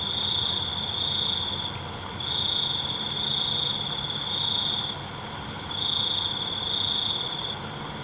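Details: Nighttime cricket song: long, high, metallic trills of one to two seconds alternate with brief silences, set against a constant faint insect shimmer.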